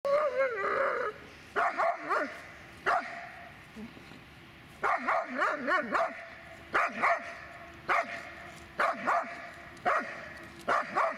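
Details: Dobermann named Magmar von der Burgstätte giving repeated sharp barks in irregular bursts, some with a whining, wavering tone at the start, separated by short quiet gaps.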